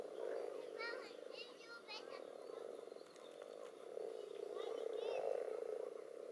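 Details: Common toads among several frog species crowding in a pond at spawning time, recorded above and below water. A dense low croaking chorus swells toward the end, with bursts of fast, repeated higher frog calls early and again midway.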